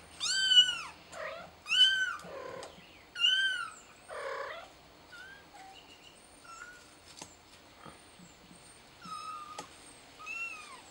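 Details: Kitten calling for help, thought to be stuck up high, gives loud high meows in quick succession with arching harmonic contours, about forty per minute early on, then thinner, softer cries with faint chirps behind.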